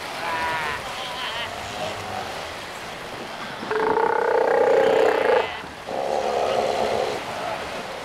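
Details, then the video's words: Northern fur seals (Callorhinus ursinus) on Lovushki Island, Northern Kurils: several harsh, wavering bleat-like calls, a louder two-second bellow in the middle and another shorter one after, against background surf. "Nothern Fur Seal Северный Морской Котик"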